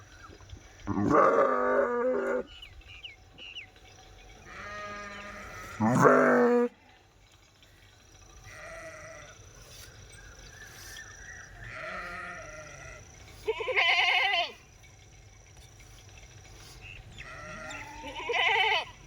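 A sheep gives wavering, nasal bleats, each about a second long, repeated at irregular intervals.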